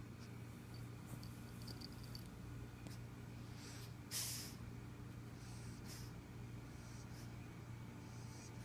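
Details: A black pug snores softly, with breathy wheezes coming about once a second over a low steady hum.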